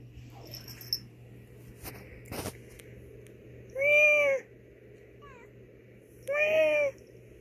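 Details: Female domestic cat talking back to her owner's meows: two loud, drawn-out meows about two seconds apart, preceded by a few sharp clicks and knocks, with a low hum underneath.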